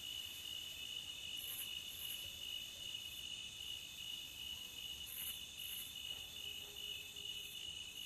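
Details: Crickets call by the beach in a dense, ringing, high-pitched drone. Quick doubled chirps sit above it and recur every few seconds, with a low hiss beneath.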